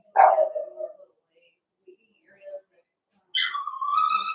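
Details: Young Blenheim Cavalier King Charles Spaniel puppy in an indoor puppy pen, litter of five born over New Year; a brief howling whine drops in pitch, then after a pause a longer sustained whine slides downward, with faint voices between.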